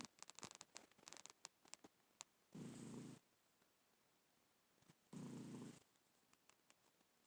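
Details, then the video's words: A black cat snores quietly in its sleep. Two longer, hoarse, breathy snores arrive about two and a half seconds apart, among scattered small clicks and rustling. "Snoring Black Cat"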